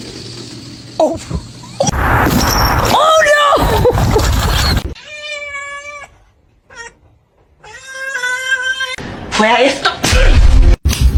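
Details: Cat meowing, part of a kitten-meowing compilation: a couple of drawn-out harmonic meows in the middle, set among loud talking, clatter and noisy passages at the start and end.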